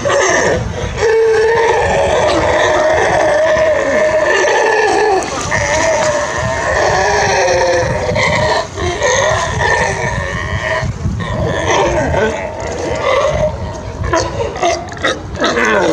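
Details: Playful California sea lions in the crystal clear waters of Monterey Bay, California, giving a loud chorus of overlapping drawn-out, bleating and honking calls from several animals, continuous throughout with water noise.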